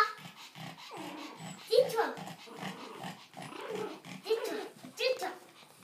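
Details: One-month-old pug puppies playing give high, wavering whines and small yelps, with soft grumbling growls between them.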